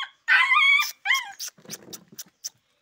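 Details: Rottweiler-Boxer mix puppy, described as intelligent but very aggressive, lets out a loud drawn-out whining cry. A shorter second cry follows, then a few soft yelps and light rustling.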